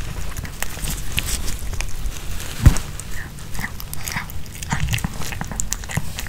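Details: Pomeranian dog chewing a home-cooked chicken hearts and bell pepper kebab indoors; bursts of sharp, clicky crunching and smacking, one louder bite near the middle, steady low hum throughout.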